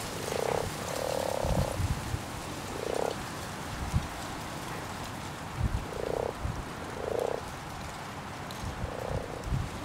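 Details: In a spawning pond, common frogs croak in short, low, rolling bursts, one drawn out nearly a second, spaced every one to two seconds against soft background rumble and occasional low thumps.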